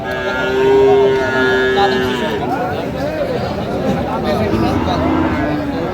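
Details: Friesian and crossbred bull calves, around six to seven months old, at Aftabganj livestock market in Dinajpur on 13 August 2025; a steady, sustained lowing note over two seconds, then men talking amid market bustle.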